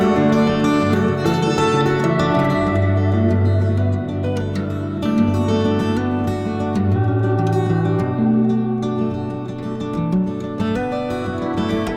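Only gentle plucked guitar music is heard, with no animal sounds.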